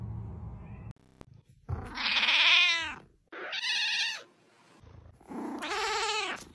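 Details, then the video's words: Cute cat meowing: three drawn-out, arching meows with rich harmonics, each about a second long and separated by brief pauses, the first loudest and rising then falling in pitch. "Meow ! Cute cat meows"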